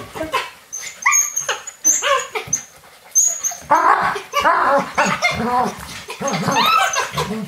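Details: On a rainy day indoors, Alaskan Malamute puppies play with a young adult male, giving high, wavering whines and short yips in quick overlapping bursts.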